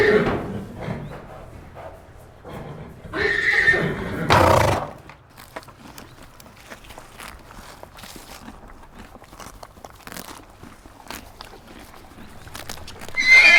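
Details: Horse whinnying in short loud bursts early on, then quiet stretches with clicking, clip-clop-like knocks and light movement sounds, and another rising call just at the end.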